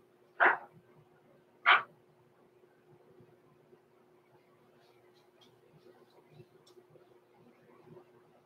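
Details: Blenheim Cavalier King Charles Spaniel puppies Roman and Blue, six weeks old, born November 14, 2022 to Pom-Pom, overnight in an indoor puppy pen; two sharp, short yips about a second apart, then a quiet room with a low steady hum.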